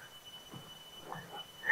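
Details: Near a rubber plantation by the Jaldhaka River in the Dooars, North Bengal, India, a cricket gives a thin, steady, bell-like ringing tone that holds without a break.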